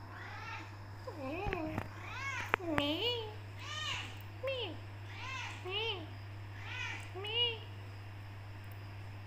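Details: Black Persian cat with golden highlights, a tortoiseshell female, meowing back at her owner indoors because she is not let out of the room; about eight rising-falling meows in quick succession, a person's voice mixed in, steady low hum throughout.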